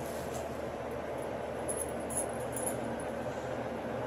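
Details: A steady, dense rushing noise like a passing train fills the whole clip, with no animal sound standing out.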